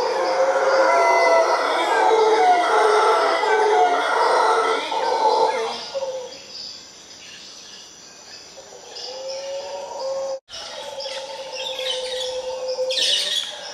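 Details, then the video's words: Costa Rican howler monkeys calling together from a tree: a dense, gravelly chorus of roars over the opening six seconds, then quieter moaning calls, with a constant pulsed insect drone and bird notes at the end. "Howler Monkeys in Costa Rica"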